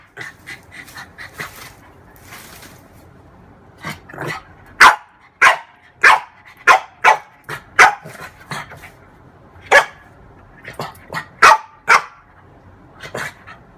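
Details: Female French bulldog at play with her reflection in a mirror; quiet whiny yips at first, then a run of loud, sharp barks roughly every half second, easing into a few softer yaps and closing with more barks.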